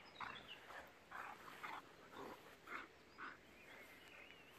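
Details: German boxer Jack, six years old, romping with a pitbull puppy; a series of short, hoarse bark-growls repeated about twice a second, with a faint whistled tone near the end.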